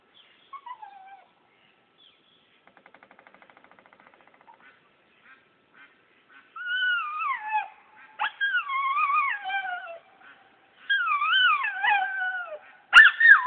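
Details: A Brittany dog on the lead outside, singing: wavering, bending howls with strong overtones rise and fall in long phrases from about six seconds on, after a few short quiet yelps at the start.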